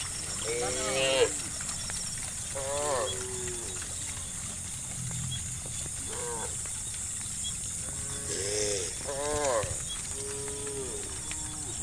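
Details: Tame cows, dozens strong, roam slowly homeward to the farm in late afternoon, producing short bursts of lowing, some calls overlapping in quick succession, against a steady rural hiss.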